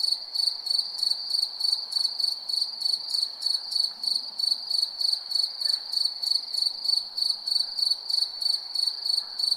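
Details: Nighttime cricket chirping without pause, short high-pitched buzzy bursts repeated roughly three times per second in an even rhythm, quiet background otherwise.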